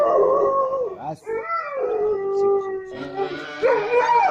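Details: A dog howls at the time of the call to prayer, as it does each time the call sounds. Long, wavering, pitched howls rise and fall in several drawn-out phrases, with brief breaks between them.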